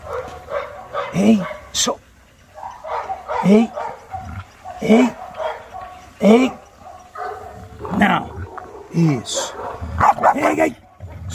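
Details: Maike the Chow Chow during training, arriving in chaos; repeated barks, some with rising-falling tonal yelps, coming every second or so alongside a person speaking and saying no repeatedly, with music in the background.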